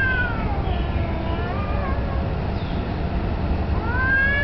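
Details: Confronting street cats, possibly disputing territory or mating, with a black cat in a submissive posture. Soft, sliding moans drift downward, then a louder rising yowl swells at the end against a continuous low background rumble.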